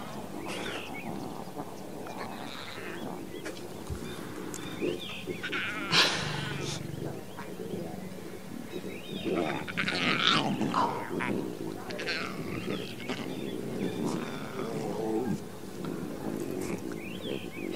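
A lion cub gives rough, bleating roars and growls, with a person talking over parts of it.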